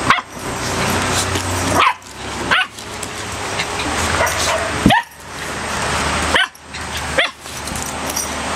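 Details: Three pet dogs playing together at home, an American Staffordshire Terrier, a red heeler pup and a Border Collie; excited barks and yips break through a steady noisy background, with sharp rising bursts near two, five and six and a half seconds.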